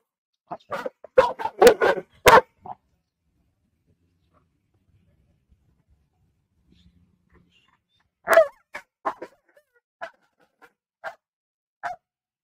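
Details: A female Tibetan Mastiff gives a fast volley of loud, deep barks, falls silent for several seconds, then barks again in spaced single woofs. She barks like this at nearby dogs and other animals.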